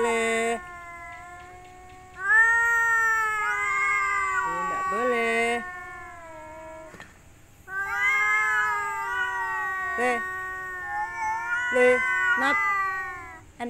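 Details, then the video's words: Cats yowling during mating season while rivals contest a female: repeated long, wavering moans that swell and fade, separated by short pauses, with sharp clicks and a person speaking softly. "Kucing mencari pasangan"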